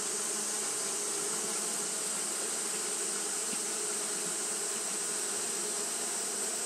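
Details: Japanese honey bees fanning on a hot day, their massed buzzing forming an unbroken low drone with slight wavering, beneath a steady high-pitched hiss.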